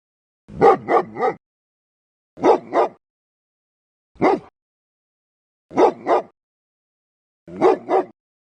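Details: A dog barking loudly and deeply: clustered double and triple woofs, with one lone bark in the middle, spaced roughly every one and a half seconds against a silent background.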